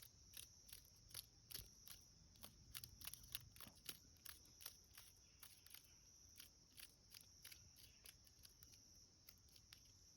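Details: A cicada caught by a cicada killer in a creek bed, heard while hiking, gives harsh, erratic buzzing bursts of distress over a steady high insect drone.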